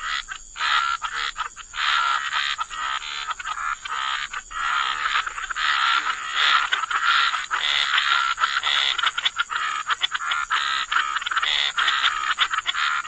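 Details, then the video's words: Wetland frogs croak in a thick continuous chorus, many overlapping rough calls merging into a steady raspy wall of sound with a few brief pauses early on, under a high steady hiss. "Frog Lullaby: Relax to the Sound of Croaking Frogs"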